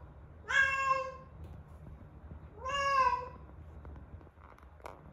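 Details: Rescued female cat aged eleven months, calling insistently during the peak of her first heat cycle: two loud, stretched meows about two seconds apart, each rising then sagging, followed by faint soft sounds.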